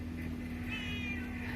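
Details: Street cat in Bangkok, met again after a long absence, gives one faint, high, drawn-out meow over a steady low hum and dense background noise.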